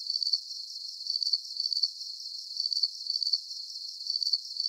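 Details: Crickets chirping in a 40-minute deep sleep soundscape: a thin, high-pitched trill broken into short pulsed chirps about twice a second, steady and unbroken, with no low sounds, voices or other animals.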